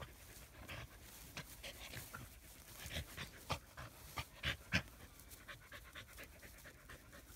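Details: Shaded under a willow tree, Australian Shepherds give quick, breathy panting, roughly three or four huffs per second, with several stronger, sharper puffs clustered near the middle.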